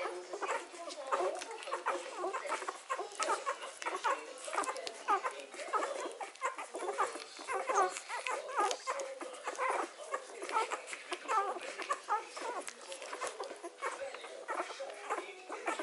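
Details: Hovawart puppies three days old suckling indoors: a busy litter makes dense, overlapping squeaks and short whimpers with wet clicking and suckling noises throughout.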